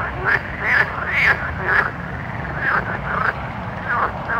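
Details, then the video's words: Nighttime frogs croak in quick, arching notes about twice per second, several voices overlapping above a low continuous hum. "Soothing Night Frog Sounds"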